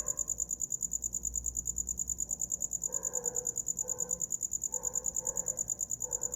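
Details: Cricket chirping for sleep, a fast, regular, high-pitched pulsing, joined from midway by soft, lower, repeated murmuring bursts in the background.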